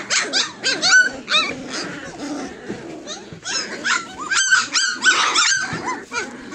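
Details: Three-week-old Tosa Inu puppies, fourteen in the litter, producing quick looping whines and squeaks, overlapping yelps from several pups, with a brief murmur of a human voice underneath.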